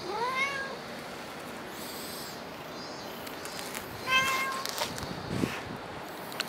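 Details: Cat outdoors in the Dockyard Garden, recorded on 7 August 2016 in the early morning: a rising-then-falling harmonic meow near the start, a second, flatter meow around four seconds, and faint background noise between them.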